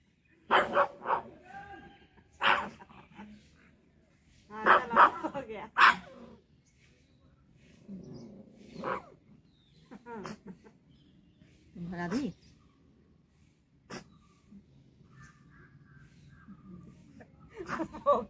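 A pug gives sharp, aggressive barks in irregular bursts, with a person talking between them.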